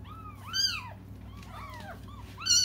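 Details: Cats crying for their absent mother: a few drawn-out arching meows, some overlapping, over a low steady background hum.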